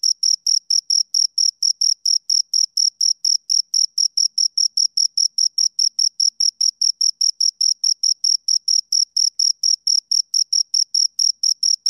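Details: Chirping from two crickets: evenly spaced, shrill ringing pulses, about three per second, continuing without pause over a silent background.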